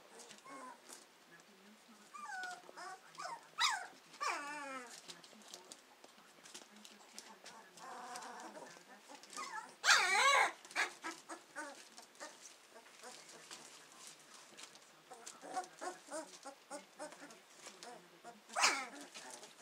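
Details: Hovawart puppies just over two weeks old, starting to explore with their senses: many high, wavering whimpers and squeals overlap in quick succession, some rising and falling in pitch, with a few louder squeaky bursts and soft rustling.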